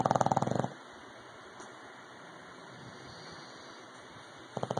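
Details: An English Bulldog snores loudly, each breath a rapid, rattling flutter separated by a long quiet pause.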